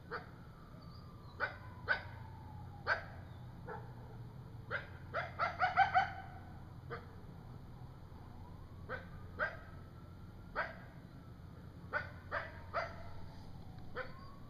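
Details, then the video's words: An adult coyote at night in woods gives sharp yips, barks and thin sliding howls while a young coyote whimpers nearby; growls and whimpers follow as the owner assumes it leads the young away. "Coyote Howling in the night"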